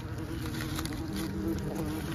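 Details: Asian hornets around a small ground nest that children found, recorded during treatment of the nest; a steady low droning hum runs throughout, with a faint high whine above.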